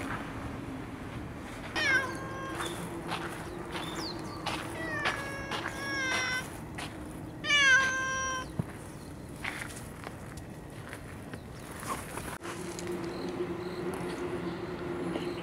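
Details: Cats in a park where rival cat families feud, a month after a domineering tabby stray left: a series of short, harmonic meows, some wavering and rising, clustered over about seven seconds, with steady outdoor hum and distant traffic.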